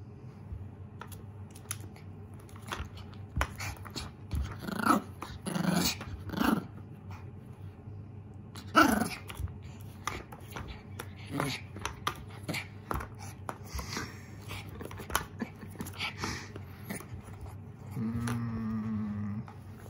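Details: Koro, a young mame shiba, warily menaces a lint roller during play: scattered low growls and brief muffled barks mixed with frequent clicks, rustling and handling noises, and a steady hum toward the end.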